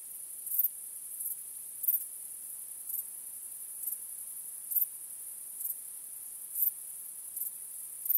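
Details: Crickets chirping on a starry night: a steady, very high-pitched shrill trill runs throughout, broken by louder, sharper chirp bursts that come unevenly, about once a second. No other sounds.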